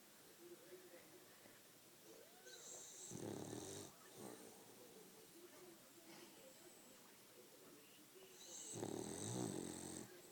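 A French Bulldog snores in slow, rasping breaths, each rattling inhale rising to a wheezy hiss.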